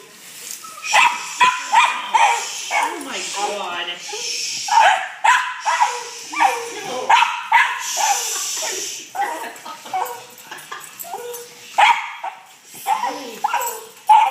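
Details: Excited fat dog anticipating a walk, mixing short barks with high whines and whimpers in uneven bursts, a human voice faintly mixed in.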